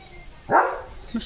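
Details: Leo, a pet German Shepherd, getting soaked in the rain and playing: one loud, full bark that rises sharply and then fades, with a brief bit of human voice after it.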